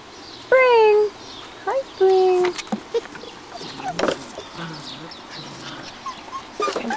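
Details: Puppies at six and seven weeks old playing; a few high whining whimpers with falling pitch, then softer short squeaks, mixed with a woman talking to them.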